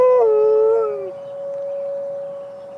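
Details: Malamute Great Dane Penny ends a howl at emergency sirens: about a second of rich, wavering, slightly falling howl, then only the steady, high siren tone carrying on.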